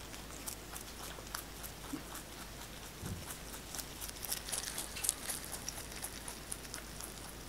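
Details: Fresh basil being eaten by the pet rabbit 꽃돌이, captured up close for ASMR; soft, irregular crunches and leafy crackles that grow denser and louder midway, then settle into steady nibbling, indoors with no other sounds.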